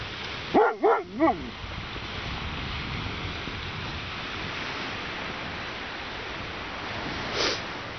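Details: A male Siberian husky gives three quick, arching, howl-like cries in the dark, calling for his female companion who is lost in the darkness.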